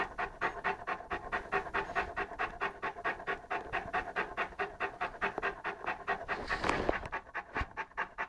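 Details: Lara, an 11-month-old Saint Bernard puppy, pants steadily while playing with a pygmy rabbit; regular breathy bursts about twice a second throughout, a brief scuffle near the end.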